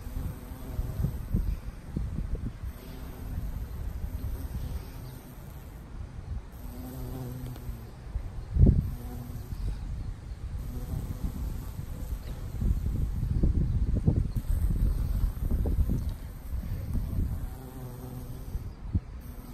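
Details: Female Valley carpenter bee feeding on Mexican sage in a garden after a rainy year, seen at close range: a low droning buzz with a harmonic hum that swells and fades repeatedly over a rumbling low background.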